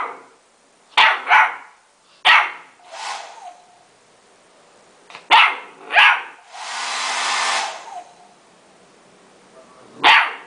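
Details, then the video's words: Golden Retriever puppy that dislikes being dried, barking at a hair dryer: short sharp barks in pairs, a loud hiss of the dryer running, then another bark. "Golden Retriever VS secador de pelo"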